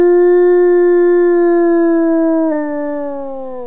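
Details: Wolf named Smoluch howling as communication within its family group. A single long, clear tonal howl holds a steady pitch, then steps and slides gradually lower toward the end. Nothing else is audible behind it.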